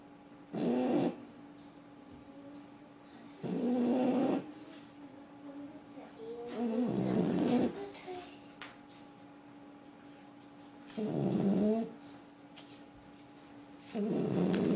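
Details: Sleeping French Bulldog snoring: five raspy, throaty snores, each about a second long, coming roughly every three seconds over a faint steady electrical hum.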